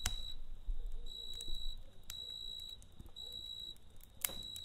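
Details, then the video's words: Cricket calling at night by a campfire: fainter high trilled bursts recur over a steady low roar of flames, with one loud crackle near the end. "Kamp Ateşi ve Cırcır Böceği Eşliğinde Dinlendirici Gece Sesi"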